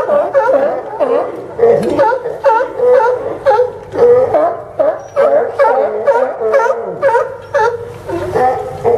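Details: On the Port of Newport Town Dock in Yaquina Bay, Oregon, sea lions bark on September 20, 2015; hoarse, wavering barks and moaning calls overlap from several animals, coming in irregular bursts and falling briefly quieter toward the end.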